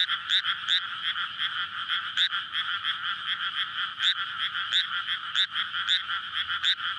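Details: Courting frogs massed in a water-filled rice paddy on a May night near homes and a road: a constant, buzzing croak chorus with scattered louder clicks standing out every second or so.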